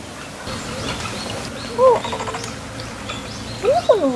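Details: Capybara nicknamed Aka-Kapi-chan at Sayuri World, filmed 24 May 2014 while being stroked, gives two short arched squeaks, one near the middle and one at the end, over a steady low background hum.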